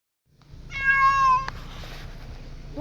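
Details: Cat making a funny noise said to sound like a baby: one short, steady, harmonic-rich meow under a second long, followed by faint room noise.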